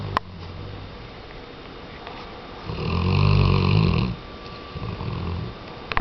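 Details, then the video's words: Weimaraner snoring indoors: after a quiet stretch, one long, deep, gravelly snore lasts over a second, followed by a fainter rumble near the end. "Weimaraner-Tchesco Roncando"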